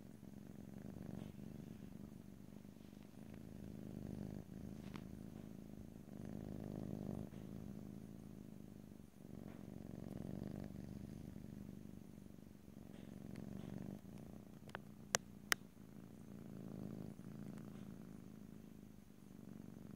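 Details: Cat purring at length in stereo, a low rumble rising and falling in waves every few seconds, interrupted briefly by soft rustling and two sharp clicks near fifteen seconds.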